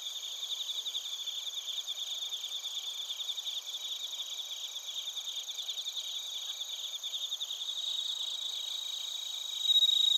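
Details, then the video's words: Chorus of bell crickets and crickets from Narita, Chiba, Japan, TASCAM Portacapture X8: quick rhythmic high chirps about four each second, a brief bright ringing tone rising near the end. "スズムシとコオロギの鳴き声 - Chirping of crickets"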